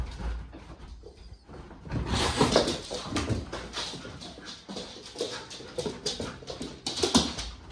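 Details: Six-month-old Alaskan Malamute puppy in a play rematch with a black cat: scuffling bursts from about two seconds onward, with short whimpers and growly noises rising out of the rough, noisy tussle.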